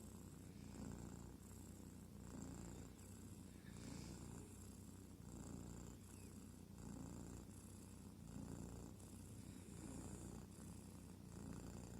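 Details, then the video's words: Sleeping kitten purring: a low, rumbling, continuous purr with steady breathing cycles, rising and falling roughly every second and a half, close and quiet indoors, with no other clear sounds. "Лечебное мурррчание котенка.Cool kittens.Therapeutic purring of a kitten."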